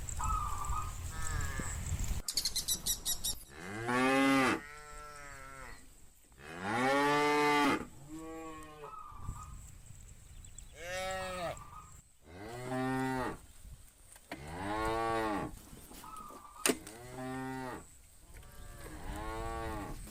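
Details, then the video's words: Tame cattle, part of a herd of hundreds grazing a countryside field in the afternoon, with bulls calling the herd back to the farm pen: long, low, harmonic moos, several animals overlapping, rising and falling every two to three seconds, one sharp crack early. "A Herd of Tame Cows From the Field Want to Return to the Farm Pen - Funny Cow Sounds"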